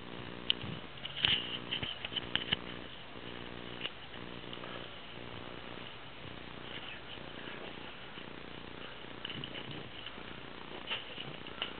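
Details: A seven-month-old female Abyssinian guinea pig that rarely moves makes short bursts of low, buzzy, pulsed purring during the first four seconds, then goes quiet under a steady hiss.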